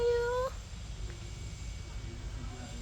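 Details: Cat at Bayon Temple in Cambodia giving one short, clear, slightly rising meow lasting about half a second, followed by quiet background with faint voices.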